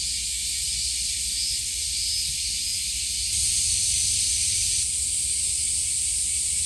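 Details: Summer cicada chorus at Kasai Rinkai Park in Tokyo, a continuous shrill buzzing wash that swells louder partway through and keeps going, over a soft low background hum.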